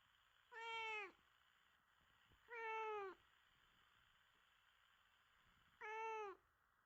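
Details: Indoor house cat described as sweet and attention-seeking, meowing three times: drawn-out harmonic cries with a gentle falling end, the first two close together and the last after a longer pause.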